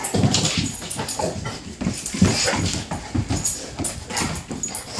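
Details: Two dogs, a bullmastiff and a new Dogue de Bordeaux, playing. Low rumbling growls alternate with harsh noisy huffs and scrabbling, in irregular bursts roughly every second.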